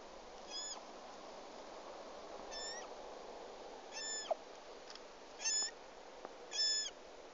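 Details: Roe deer fawn, lost and hungry in the Sîngerei forest, repeating short high squeaky bleats roughly once every one to two seconds, five calls in all, each bending up then down, over faint hissing background.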